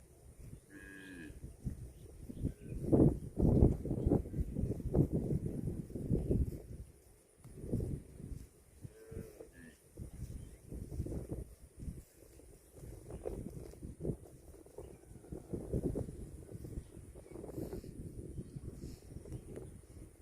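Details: Cattle mooing, low and drawn out, with several calls rising from the first few seconds and further lowing through the middle and later part, over scuffling, rustling farmyard noise.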